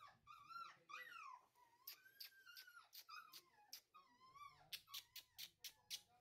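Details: Labrador Retriever at a pet shop in New Delhi, India: high, wavering whines that rise and fall, then a quick run of short, sharp yelps repeated about every half second near the end, with brief background voices.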